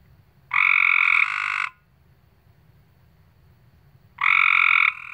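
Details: Frog in West Virginia calling, two loud, harsh, buzzy croaks, each about a second long and stacked with bright overtones, separated by a long pause, over a faint low background hum.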